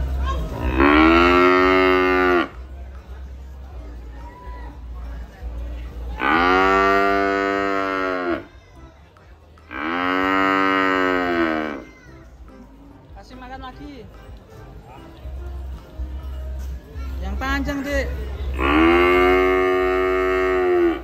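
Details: Cattle eating while a child feeds them: four long, deep harmonic moos of about two to three seconds each, spaced several seconds apart, with faint speech and a steady low hum in the gaps.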